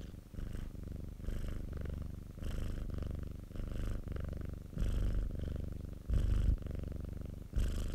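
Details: A domestic cat kept by the recordist's colleague purrs steadily in a self-made recording: a low continuous rumble, swelling with a brighter breathy layer roughly every second or so as it breathes in and out.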